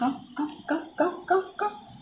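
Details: An 18-day-old Labrador Retriever puppy at play gives six short whining yelps in quick succession, about one every third of a second, each a rich harmonic squeak bending slightly in pitch, over a quiet background.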